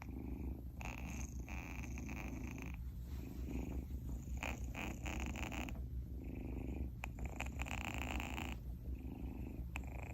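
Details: Eden, a newly adopted male Munchkin kitten born October 8, 2021, purring in a steady, low, continuous rumble throughout, with brief brighter rustling noises on top at intervals.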